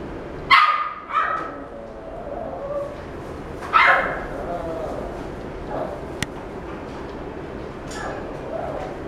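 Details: White male Maltese, born March 2017, in a pet shop; two loud yapping barks with quick follow-up yips, then softer whines and faint sounds, against low room noise.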